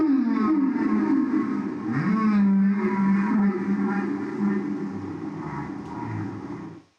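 Deep, drawn-out moans from a humpback whale swoop and bend in pitch, some rising into higher whine-like tones. The sound is played back indoors and fades out at the end.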